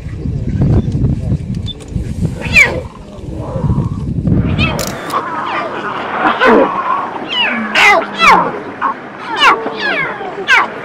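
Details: Lion cubs in Tanzania meowing and crying after swimming across a large pool to join their siblings and mother: rumbling low noise gives way to many overlapping short, rising and falling mewing cries from several cubs, with some human voices.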